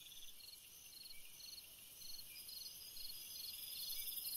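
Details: Cricket song in a summer night atmosphere: faint short high chirps repeated roughly every half second over a continuous high-pitched insect hiss and steady background noise.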